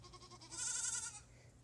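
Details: Herd goat wanting grain gives a single vibrato bleat of under a second, rising in strength then fading, with soft earlier bleats at the start.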